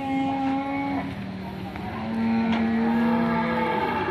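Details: Fierce, raging cattle from a compilation of angry cows that panic their owner: one long, steady, deep harmonic moo of about a second, then a second, longer overlapping moo, over a constant rumbling background.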